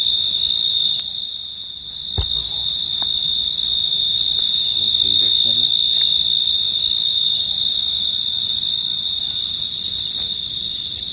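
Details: Pacific field cricket giving a continuous shrill ringing trill that holds an even high pitch for the whole stretch, briefly softer around two seconds, with a sharp click and faint rustling underneath.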